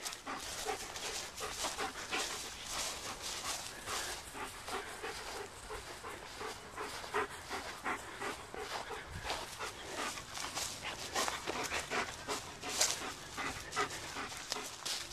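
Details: Black German Shepherd dog out on a walk, panting in quick, breathy, uneven bursts that run steadily through the whole stretch, with soft outdoor background noise.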